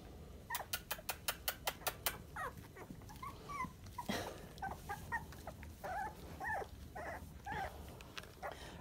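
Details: Sandstone Dachshund puppies, 23 days old, indoors: a burst of sharp clicking taps, then short squeaky whimpers that bend up and down, scattered irregularly, with a person talking softly nearby.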